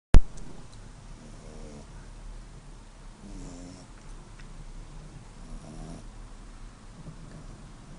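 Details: Zlata, a five-month-old pet dog, asleep and snoring, recorded on a phone: soft low rasping snores with faint buzzy harmonics, coming roughly every two seconds over a steady quiet indoor hiss, with a sharp click at the start.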